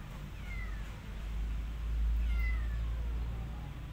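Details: Kittens abandoned by a family unable to feed them cry out in two clear, high, falling mews about two seconds apart, set against a constant deep hum.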